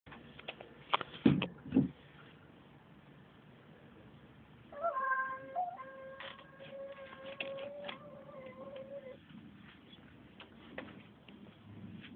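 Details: Tomcat making strange noises: a few sharp thuds early on, then a long, steady tonal call with stacked harmonics that holds level for about four seconds with slight wavers, over a low background hum.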